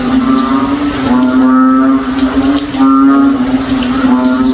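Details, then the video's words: Noisy backyard frogs calling through a rainy day, moo-like: steady low drone with two long, harmonic, lowing calls swelling and fading a couple of seconds apart. "NOISY FROG SOUNDS LIKE A COW IN OUR BACKYARD ON A RAINY DAY"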